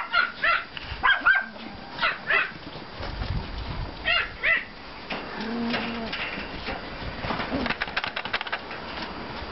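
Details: Pomeranian and klein spitz puppies playing in a yard after snowfall, 5 April 2014: a run of sharp, high yips early on, then quieter stretches with a soft whine and scuffling noise toward the end.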